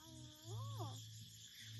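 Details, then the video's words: Island cat in Koh Chang, Thailand, being played with and getting attention, gives a single short meow that rises then falls, over a steady low hum and background hiss. "Island Cat Meowing"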